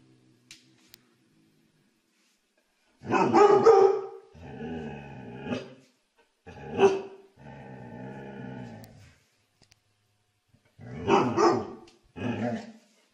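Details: Dog barking in a funny-dog compilation, deep rough barks with a growly edge coming in three uneven groups, some drawn out and grumbling, separated by short silences.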